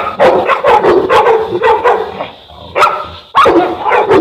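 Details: Boerboel, a South African Mastiff from a couple named Enzo and Diva living in Egypt, giving a fast run of deep, rough barks, nearly two per second, with a short pause before two louder barks near the end.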